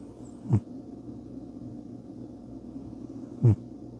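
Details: Bubba, a pet cat, snoring while asleep: two short, low, rasping snores about three seconds apart over a quiet indoor hum.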